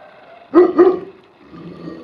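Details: Tibetan Mastiffs playing hide and seek: two quick deep barks close together, then quiet with low background rumble.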